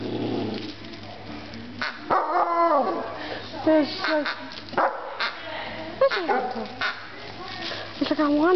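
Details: A Malamute puppy insisting on getting a new toy makes a string of short, bending whines and yips, rising then dropping, scattered across the recording with a person's voice in between.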